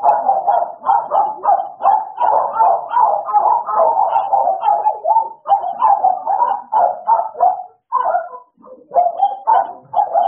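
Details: Playtime between American Bullies Idol and Alice: a continuous string of sharp mid-pitched barks, close together and unevenly spaced, with a few breaks near the end.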